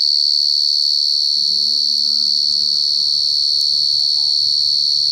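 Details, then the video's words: A wild cricket's very loud, steady high-pitched trill runs without a break, with a brief human voice partway through. "Suara jangkrik paling nyaring"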